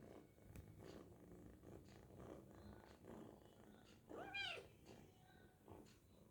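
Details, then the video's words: Hungry kitten while eating lets out one brief, rising-then-falling meow near the end, amid low rumbling and people talking quietly nearby. "The Kitten is Very Hungry And is Eating Animal Cute Cat Meowing"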